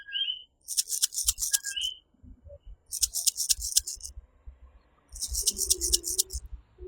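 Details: Coquí, a tiny tree frog of Puerto Rico, calling in its nighttime chorus: a short low note then a higher 'kee', heard twice, between loud shrill buzzing bursts pulsing high above.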